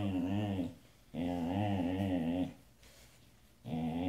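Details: Siberian Husky pet Sasha sings with deep, steady warbling howls. Two long, even phrases and the start of a third are broken by brief quiet breaths.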